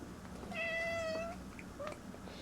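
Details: Male Bombay cat meowing beside his new scratcher indoors: one long, steady, clear meow holding a level pitch for nearly a second, then a brief faint chirp-like mew, with a soft room hum underneath.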